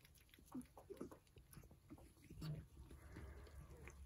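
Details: Several Persian cats eat their breakfast at close range: soft crunches, wet smacks and quick lapping clicks come in an uneven run over a low background rumble throughout.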